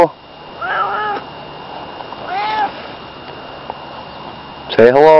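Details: Barney, a pet cat, gives a call that sounds like saying hello: two soft, wavering meows about two seconds apart over a steady hum, then a person's loud voice cuts in at the end.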